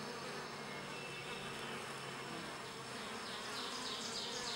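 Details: Bees grooming each other inside a hive, an activity that keeps the colony clean: a dense, steady hum of many wings with a faint high whine above it, continuous throughout.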